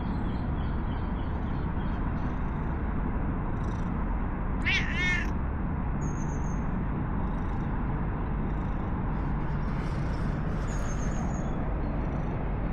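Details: Stray cat in a park, petted, then following to a bench to sit alongside and seek affection. It gives a single short, high meow in the middle, over a constant loud low rumble of wind or distant traffic.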